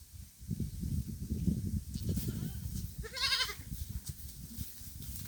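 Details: A thirsty pet goat in the middle of a field gives one wavering, harmonic bleat partway through, over steady low-pitched rumbling background noise.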